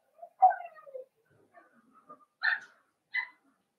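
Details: Blenheim Cavalier King Charles Spaniel puppies, part of a litter of five born on New Year's, in a home puppy pen: soft whining whimper near the start, then fainter murmurs and two short higher yips toward the end.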